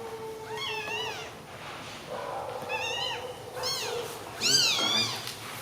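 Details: Newborn baby kittens lying together give a series of high, arching mews, four or five in all, some overlapping near the end, with faint human voices in the background.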